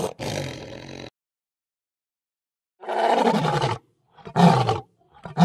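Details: Lion roar sequence: one sustained bellow, a silence, then a strong roar followed by shorter grunting calls in quick succession, ending abruptly.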